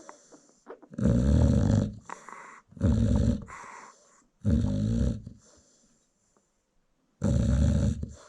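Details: Sleeping American Bully mom, kennel dog in South Africa, snores as her newborn litter feeds; deep harsh rattling breaths in uneven bursts, some quick doubled, followed by a quiet pause before another snore.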